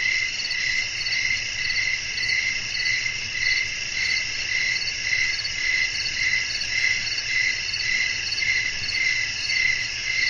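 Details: Nighttime nature atmosphere of chirping crickets and wind for restful sleep; bright, steady insect trilling layered over a continuous high hum, pulses repeating evenly about twice each second.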